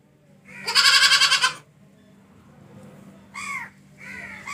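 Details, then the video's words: Goat giving one loud, harsh, wavering bleat of about a second, followed by two softer, shorter bleats, over a low steady hum. "Funny Goat Baa Baa Sound"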